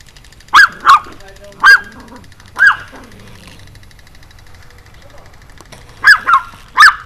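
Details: Excited Pomeranian, jumping and barking, 4 June 2012 around 6:37 PM: a burst of four high, clipped yaps, a pause of about three seconds, then three more yaps in quick succession.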